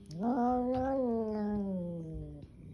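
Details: Angry kitten giving a sustained, throaty moaning growl nearly two and a half seconds long, starting with a quick upward swoop, holding level, then sagging gradually lower, with soft thumps below.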